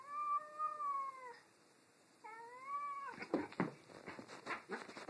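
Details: Two pet cats, Tammie and Cheddar, squabbling about a new toy: two long wailing meows with a gap between, each sliding downward at the end, followed by a burst of scuffling, rustling and tapping noises.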